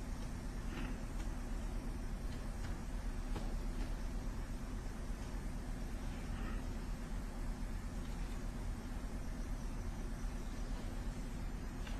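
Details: Steady low traffic-like rumble and broadband hiss throughout, with no animal voice heard.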